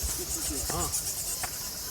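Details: At a temple roost said by the guide to hold about a million bats, bats make a dense, high-pitched chattering hiss while a man speaks briefly.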